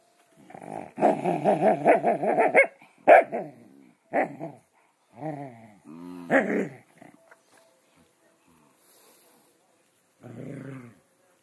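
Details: Scottish terriers wrestling together, a long stretch of dense, wavering growls broken by sudden sharp barks, several separate outbursts, then a brief low growl after a quiet spell.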